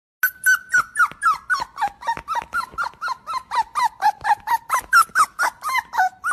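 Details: Puppy wanting another puppy, giving a rapid string of short high squeaky whines, about three per second, each sliding downward in pitch, steady and insistent for six seconds with no other sounds.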